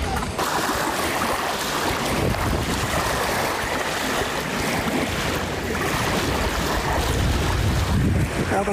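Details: Strong wind rumbling across the microphone over the wash of waves, with faint voices in the background and no animal sound heard.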